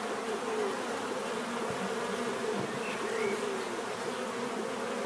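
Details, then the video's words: Continuous natural buzzing of bees, a thick droning hum layered in low harmonic bands, with a couple of brief higher insect whines passing over the steady swarm noise. "bees therapy relaxing natural buzzing sound"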